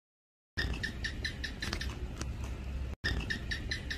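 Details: A common house gecko (Hemidactylus) living around a home gives a long call: a rapid, even series of dry, squeaky chik notes, about five per second. The run breaks briefly and resumes over a steady low rumble.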